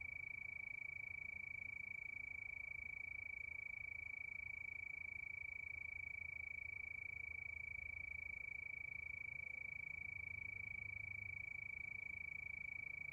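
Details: Crickets at night give a continuous shrill pulsing trill, perfectly regular and unchanging in pitch throughout, against a quiet low background rumble.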